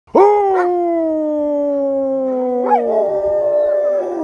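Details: A wolf from a pack of eight in B.C., Canada, gives a long, smooth howl that sinks slowly in pitch, joined near the end by a second, higher voice, as the owner howls with them.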